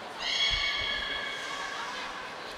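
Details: Niko, a beluga in training at Port of Nagoya Public Aquarium, 25 February 2024, produces one drawn-out, reedy harmonic call lasting around two seconds, steady in pitch and slowly fading, in a reverberant room.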